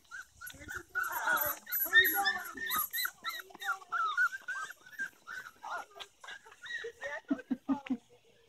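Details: Golden Retriever puppies whine and yelp in short, high, bending squeals, several overlapping at first, then spaced singly toward the end, with faint human voices in the background.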